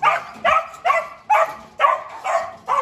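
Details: Dobermann at a large kennel, giving sharp, loud barks in quick succession, about seven within three seconds, each with a short gap.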